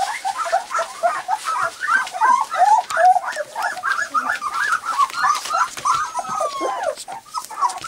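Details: Litter of white English cream golden retriever puppies, three weeks old, playing and testing their first barks; a steady stream of shrill, overlapping yelps and squeals, with rising and falling whines near the end.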